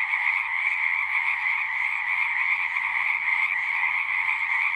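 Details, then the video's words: Dense frog chorus, a constant shimmering trill from many callers blending into one steady high band with a second band below, unchanging in level, faint low murmurs in the background. "One hour of singing frogs."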